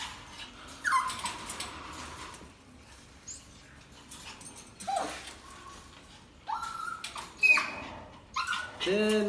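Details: Purebred poodle at a breeding and sales kennel in Vietnam, giving several short whining yelps that rise and fall, spaced irregularly over nine seconds, mixed with people talking in Vietnamese.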